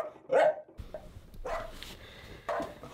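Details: Dog barking in its crate at night, a self-rewarding behavior. One loud sharp bark comes first, followed by fainter, rougher barks spaced about a second apart.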